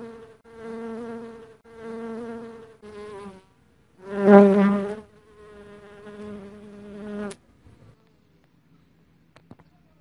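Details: Dark honey bee giving a series of steady humming bursts, each a second or so long, separated by short pauses. The loudest swell comes midway, then a longer drone fades into near silence with faint clicks.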